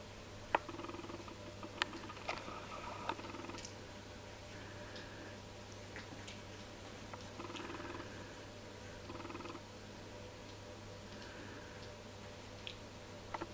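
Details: Three-week-old Jack Russell Terrier puppies from one litter, tasting each other indoors: soft pulsed, buzzy grunting bursts of about a second each, repeated irregularly, with brief squeaks and clicks over a steady low electrical hum.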